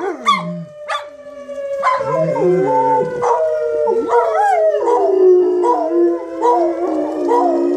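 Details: Dogs howling along with a siren test: a few sharp yips at first, then overlapping long, wavering howls that swell and slide downward over a steady siren drone.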